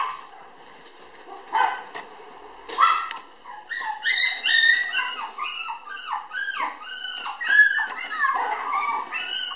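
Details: A red female Toy Poodle puppy, born May 24 and recorded June 30 weighing 700 g, gives high, quavering whines and yips that come faster and overlap toward the end.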